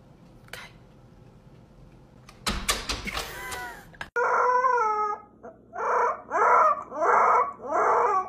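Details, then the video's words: A dramatic Siberian Husky gives a run of five or six rich, harmonic "woo" calls that rise and fall, each about half a second long, after a brief burst of clatter and faint background noise. "huskies being dramatic"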